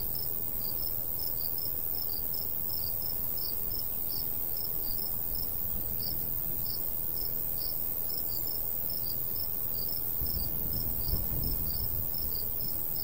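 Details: Crickets chirping in summer countryside by a golden wheat field: short high pulses repeat several times a second, overlapping at slightly different rhythms, over a steady low rumble of light breeze.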